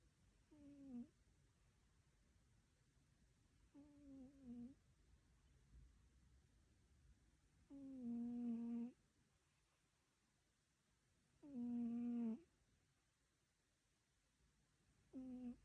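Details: A cat snoring: nasal, humming snores with a low buzzy base and stacked overtones, one every three to four seconds, some longer and louder than others, over a quiet background.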